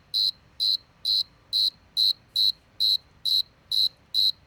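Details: One cricket gives evenly spaced, high-pitched trilled chirps, roughly two per second, crisp and uniform, against near silence.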